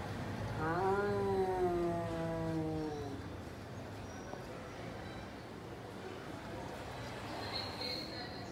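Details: Domestic cat during a daily food face-off between two cats, one stealing the other's food: a long, wavering meow lasting about two and a half seconds that slides downward, followed by quiet background noise.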